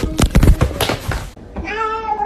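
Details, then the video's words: Indoors, a loud clattering burst of knocks and rustling fills the first half. Then a cat lets out a short, clear, tonal meow that holds fairly level and fades at the end. "kitten meowing cute"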